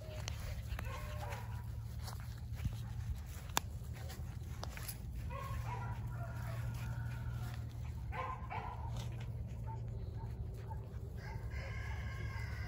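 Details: Litter of 49-day-old Border Collie puppies, German father and Russian mother, recorded 7 June 2022; brief thin whines and yelps recur in small bursts over a constant low electrical hum and scattered rustling.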